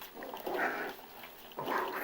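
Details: Five-week-old puppies playing, Dakota and Flash tussling; two short bursts of low growling yips, about half a second each, separated by a pause.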